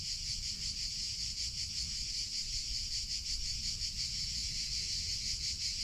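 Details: Summer cicadas produce a dense, high-pitched buzz that holds steady throughout, softly pulsing about three times a second, over a low rumbling background.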